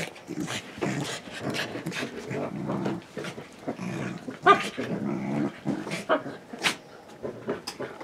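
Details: ['Corgi having fun, giving rough play growls and grumbling bursts in irregular runs, with a few sharp clicks in between.']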